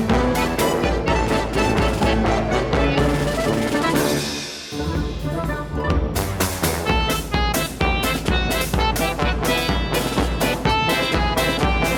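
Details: Steady drum-driven instrumental music plays throughout, with no animal voices. A brief break in the beat comes midway before the full band returns.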